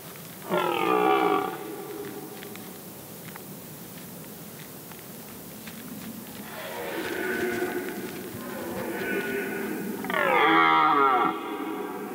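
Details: Red deer stag roaring during the September 2023 rut at Príslopy saddle, Poľana, Slovakia; hoarse harmonic bellows, a short one early and a longer falling groan near the end, with softer roars between.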